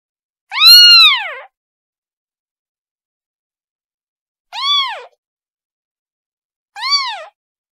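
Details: Kitten crying out to its mother: one long, loud rising-falling meow, then after a pause two shorter, softer mews close together, nothing else audible.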